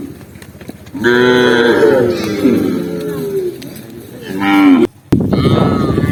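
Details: A long, loud, steady moo from tame cows walking through a green forest trail, followed by a shorter rising-and-falling second moo and a brief gap before more lowing resumes.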